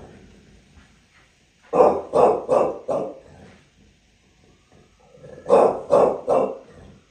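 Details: Bulldog in New York City barking in two short bursts, four gruff, mid-pitched barks in quick succession, a pause of about two seconds, then three more, with faint low background noise between.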